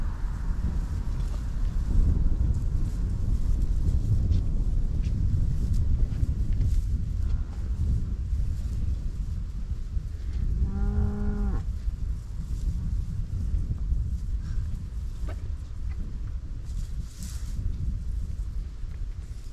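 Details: Cow grazing in a meadow of Dutch farmland in Holland: one short, steady, level moo of about a second, rich in overtones, rising out of constant heavy wind rumble.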